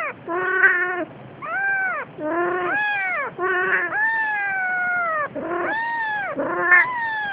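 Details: Days-old kitten being carried by its Siamese mother cat; rapid overlapping meows, some wavering and hoarse, others long and gently falling, almost continuous with brief breaks between calls.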